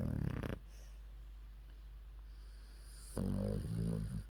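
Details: Worn out after her walk, 14-year-old Maltese Yeppi snores with her mouth open: a short, low, gravelly snore, a quiet gap of breathing, then another deep rumbling snore with a grunting texture.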